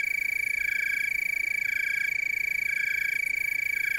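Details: Tree crickets chorusing in the Willamette Valley, Oregon, producing a constant piercing trill over quieter, regularly pulsing background chirps.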